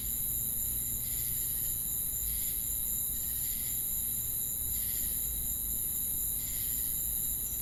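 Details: Insect chorus of crickets with cicadas: continuous piercing high-pitched hiss and steady whine, with rhythmic buzzy pulses rising and fading roughly every second, and a dull low rumble throughout.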